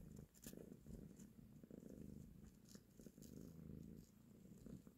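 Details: Mother cat nursing her kittens and caressing them, with a dense, even purr rumbling throughout and brief rustling clicks over it.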